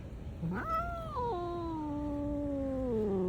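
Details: Black cat producing a drawn-out wailing meow, a quick upward swoop then a long slowly descending tone lasting nearly three seconds, steady background hum underneath.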